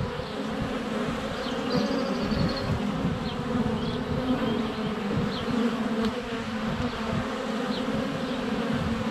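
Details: Dense buzzing of honey bees circling a hive entrance in February sun, GoPro Hero 7 Black close up; steady low drone throughout, several faint high birdsong notes and short chirps scattered over it.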